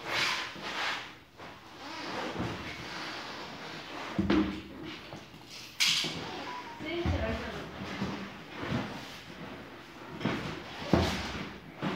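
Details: Indoor room with a person speaking and the knocks and thumps of cupboards or drawers being opened and closed; no animal voice stands out.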